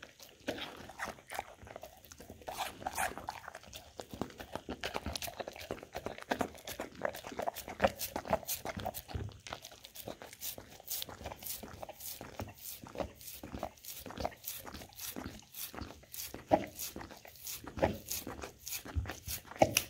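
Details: Pet Golden Retriever in a small room working through a snack board with peanut butter, apple and blueberries; steady run of sharp smacking licks and chomps, several per second, growing crisper and louder toward the end.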